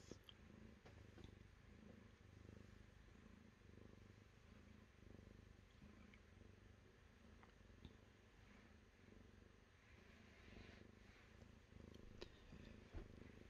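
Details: Domestic cat purring steadily, a low continuous rumble with even pulsing bands that holds unbroken for over thirteen seconds, plus a few faint clicks overhead.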